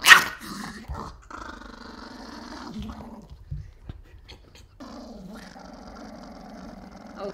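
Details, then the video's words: Wooly, a Pomeranian upset about getting a bath, opens with a sharp yap, then holds long, low, buzzy growls that rise and fall, pausing briefly before a second sustained grumbling growl. "Angry Pomeranian"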